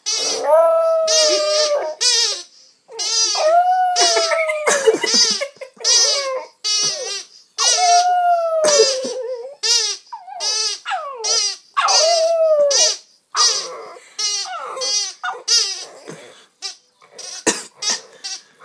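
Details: Two-month-old Staffordshire Bull Terrier puppy 'singing' during play with a toy; long wavering howl-like whines that rise then fall, mixed with quick yips and squeaky bursts, loud and nearly continuous indoors.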